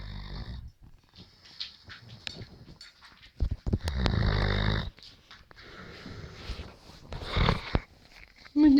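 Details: Dog snoring: rough, breathy low snores in uneven bursts, the longest lasting about a second, with a person speaking French softly nearby and a few clicks.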